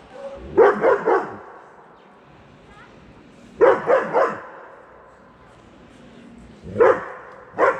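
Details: Eight-month-old German Shepherd named Max barking at a cat he wants to play with, in short bursts of three deep, harmonic woofs, each burst about three seconds apart, with quiet pauses between.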